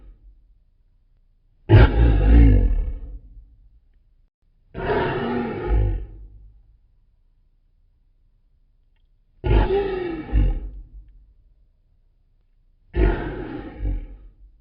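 A lion gives deep, rumbling roars, four heavy bursts a few seconds apart.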